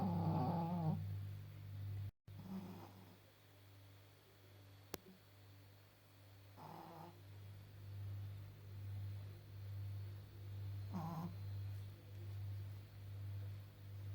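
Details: Old female Pekingese, fourteen and a half years old, blind and slightly deaf, snoring while asleep indoors; low rumbling snores in a steady rhythm about once a second, with a few brief snorts and a faint click.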